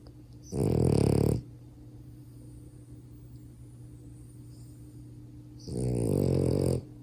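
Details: A sleeping male French Bulldog puppy snores loudly, with two long rattling breaths separated by a quiet pause.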